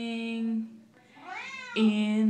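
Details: Female Siamese cat indoors singing along as her owner performs a Les Misérables song: a held human note, a rising then falling meow in the gap, then the woman sings on.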